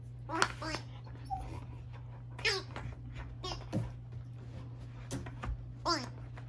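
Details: Indoors, a pet dog freaks out over a giggle ball, giving short whimpering yelps that slide down in pitch near the start, middle and end, with quieter whines between; people talk and laugh nearby.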